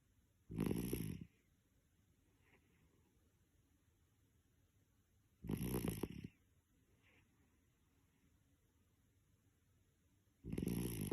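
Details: A male Toy Poodle fast asleep, snoring: three loud, rough, breathy snorts roughly five seconds apart, each under a second long and strongest in the low range, with quiet indoor hiss between them.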